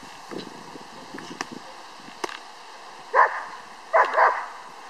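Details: Ammo, a 6-month-old Czech German Shepherd puppy in bite work training, gives two loud, harsh barks after a few soft scuffling and clicking sounds.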